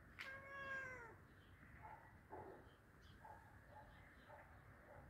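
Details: Hungry cat meowing while being fed: one loud, drawn-out meow that slides downward and fades after about a second, followed by faint softer mews and quiet room noise.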